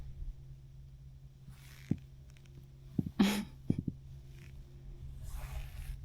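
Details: A small black drum just caught in a bully net off Florida drums with a steady, low, humming thrum while handled out of water, broken by splashy handling noises.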